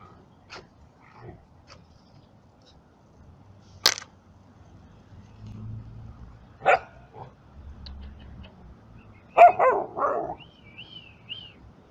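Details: Yard dog puppies reacting to a traveler approaching them: scattered short yips and barks, the last a ragged harmonic bark cluster, followed by a few thin high whistled notes near the end.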